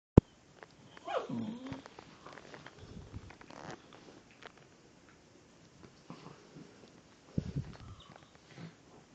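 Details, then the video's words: Two Sealyham Terriers, Woody and Lucy, playing late at night indoors; one short whining yelp that rises and then drops early on, then quiet scuffling and a few soft thumps from their play. "Sealyham Terriers Woody and Lucy late night playing"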